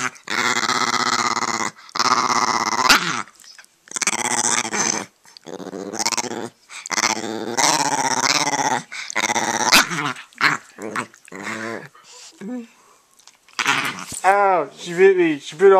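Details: Aggressive Italian greyhound growling at its owner indoors: long sustained rattling growls of one to two seconds, repeated with brief pauses, turning into higher whining, yippy snarls toward the end.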